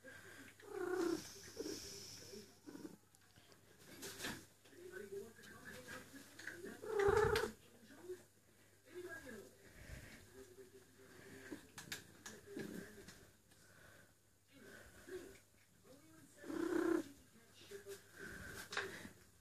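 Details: Female cat Eule in heat, calling for a mate while rubbing her neck fur, makes moaning yowls mixed with purring, a strong cry near the middle, with rustling and thumps from movement in a small room.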